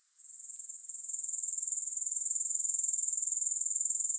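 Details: Grasshoppers heard with no music, a soothing insect chorus: a very high, thin, pulsing trill that fades in over the first second, then holds steady and loud with rapid even pulses, and no other sounds.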